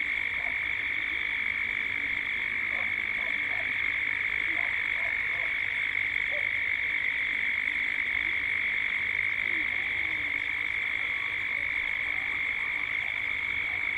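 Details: At dusk in Gippsland, Australia, cicadas drone in a steady, shrill chorus with a few faint lower notes underneath, with birds also present and the sound building towards dusk.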